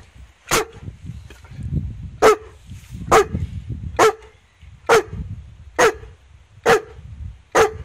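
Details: Playful barking as Rasta, a big friendly female Newfoundland, meets Jessie, a four-month-old puppy, on the puppy's first day at home; eight sharp barks come about once a second over low rumbling and shuffling.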